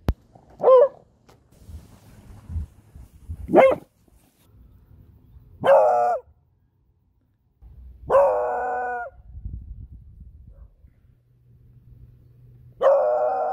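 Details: Smudge, a pet beagle, gives five loud barks spaced two to four seconds apart. The first two are short and sharp. The later ones are longer, with a ringing, slightly howl-like harmonic tone. Quiet indoor background with faint shuffling between barks.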